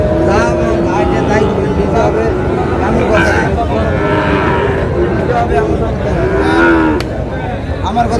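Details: Sahiwal cattle at a crowded cattle market in Rajbari, where a Sahiwal bull calf is being bought; long low harmonic moos run through the clip over steady crowd chatter and passing vehicle noise.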